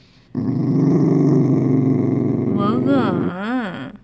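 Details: A Dachshund, described as scared, growls low and steadily while being coaxed to eat a homemade treat, then breaks into a few rising, falling whines.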